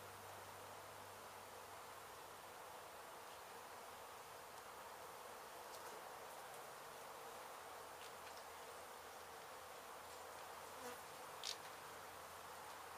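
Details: Disturbed honey bee colony being relocated from a demolished house in Mission, Texas, after crews hit the hive: a continuous, even droning buzz of many bees, with a low hum beneath and a brief tap near the end.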